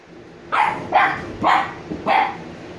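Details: Two sleepy 86-day-old Shiba Inu puppies, Niro and Kyno: four short, bright barks spaced about half a second apart, each a brief mid-pitched burst, over a quiet background.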